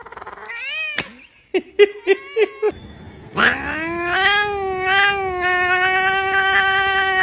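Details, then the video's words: Domestic cat meowing: a rising-falling meow, a run of five short clipped chirps, then a long, loud, drawn-out meow holding steady with rich harmonics for several seconds. "sounds of cat's meow meow"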